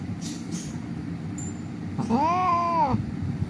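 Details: Injured cat found lying on a street crying, rescued for treatment: one drawn-out, harmonic meow lasting about a second, rising then gently falling, after a quiet stretch of low background hum.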